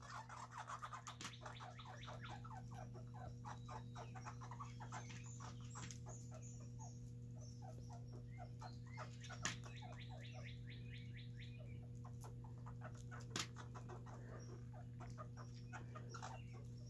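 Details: Two baby red squirrels eating together in a backyard, squabbling in a food fight over peanuts. Long bursts of rapid, dry, rattling chatter fill the first half, then scattered chirps and clicks over a steady low electrical hum.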